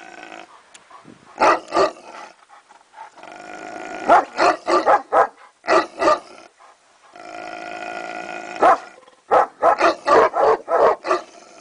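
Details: Neapolitan Mastiff barking in bursts of two to six short, deep barks, with rumbling growl-like sounds between the bursts.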